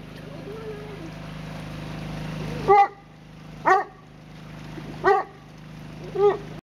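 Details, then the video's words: Excited Newfoundland dog giving single deep, harmonic barks spaced about a second apart, four in all, over a steady low hum and faint background voice. "Newfoundland dog : He is excited !"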